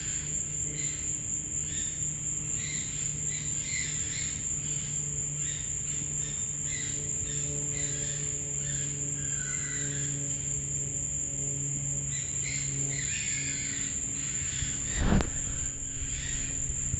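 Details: Night sounds behind a home: a continuous high, steady insect trill runs throughout, with softer pulsed chirping and scattered faint calls, plus a brief thump near fifteen seconds.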